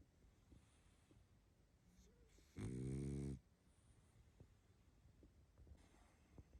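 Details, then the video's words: Pug named Barney, tired and asleep, gives a single loud snore of about a second, harmonic and rumbling low, between long stretches of quiet breathing. "Мопс спит и храпит😴Уставший Барни"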